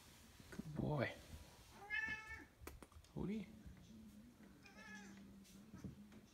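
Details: Siamese cat Otis, a couple of years old, chatty during a game of fetch at home: several short rising and falling meows about a second apart, over a low steady hum, with a man's voice urging him on.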